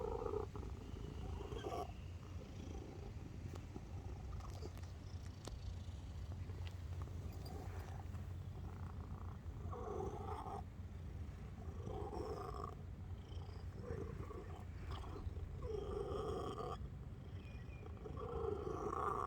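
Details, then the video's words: A cat purrs softly and steadily, a low buzzing rumble broken into regular brighter swells roughly every one to two seconds, fairly even in loudness throughout. "חתול משמיע קולות של גרגורים וימיומים A cat is making purr sounds"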